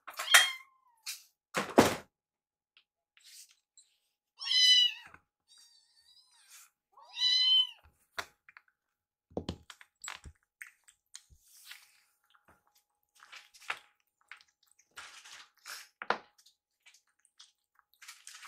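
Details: Rescued kittens at mealtime, Yuki eyeing Piyo's food and nibbling the leftovers: several high, clear meows with stacked harmonics, spaced a few seconds apart, mixed with soft clicks and thuds of eating and bowl handling indoors.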